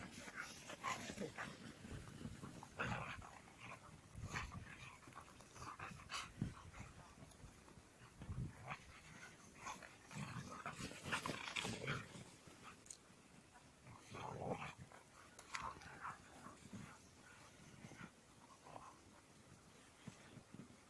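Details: Dogs named Ken, Sally and Yanika out on an evening walk, with short broadband barks and yelps coming in irregular bursts throughout, some loud and some softer, plus low rustling and background noise between calls.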